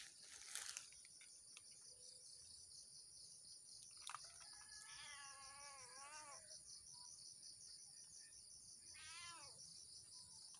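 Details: Blink, a cat watching squirrels in cashew trees early in the morning, gives two wavering, rising-then-falling meows midway and near the end, over a steady high insect drone.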